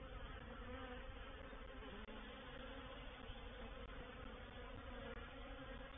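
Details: Many honey bees of a reproductive swarm settling into a bait hive at Painted Peacock Manor, recorded 04/07/21: loud, unbroken rich hum filling the low and middle range, a couple of faint ticks.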